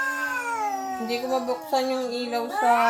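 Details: A visiting cat's strange sound around Halloween: a continuous low moaning wail with small pitch steps and wobbles, rising slightly at the close.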